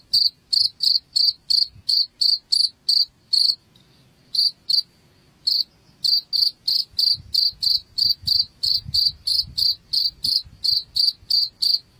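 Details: Cricket chirping, a sound played to drive rats out of a house: bright high pulses repeated about three times a second in a steady run, with one short gap near the four-second mark, over a faint low rumble.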